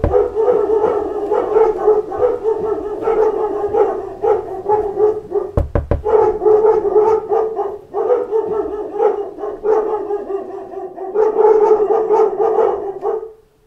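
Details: A pack of dogs barking at knocks at the door keeps up nearly nonstop overlapping barks, with a sharp burst of knocking in the middle and a sudden stop at the end.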